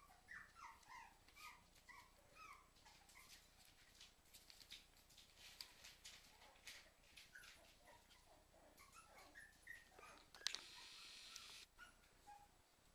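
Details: Two Cairn Terriers indoors whining in short high rising notes, with sharp barks and clatter mixed in, and a brief loud crash near the end.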